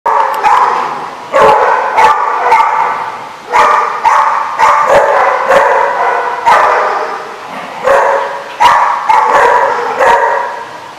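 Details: Dogs at a barking lot, recorded 10/5/15: loud, harmonic barks come in rapid bursts, about a dozen sharp onsets over eleven seconds, each one sliding into a sustained, ringing bark with overlapping voices between them.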